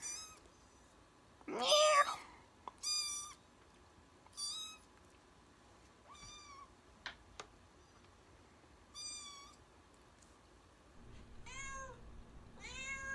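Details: Cats meowing in a funny compilation played back indoors: a loud, strained meow near the start, then scattered short, sharp meows and a quick run of high kitten mews at the end, with a low hum.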